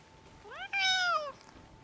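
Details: A wild, hungry cat on Japan's Cat Island, waiting on the front steps of the island's only store where visitors feed the cats, gives one clear drawn-out meow that rises, holds and then slides down.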